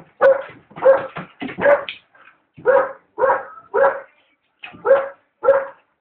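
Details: Puppy Alaskan Malamute in a rapid, agitated barking bout aimed at a hot air balloon, about ten rough barks with short yelps and whines between them, nearly continuous.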